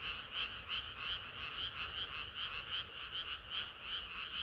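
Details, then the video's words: Hot summer night frog chorus: loud, rhythmic croaking pulses close to three per second, bright and dense, little low-frequency noise. "개구리들의 합창은 끝이 없어라"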